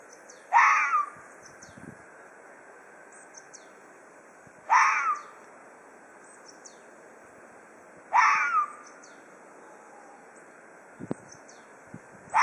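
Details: Ezo red fox giving threat calls: three harsh, raspy, downward-sliding cries spaced about four seconds apart, with quiet outdoor background and faint high chirps between them.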